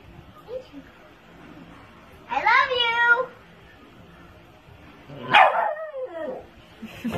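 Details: Shih Tzu in a funny, playful moment at home: two short, sharp yipping barks about three seconds apart over faint background music and low room noise.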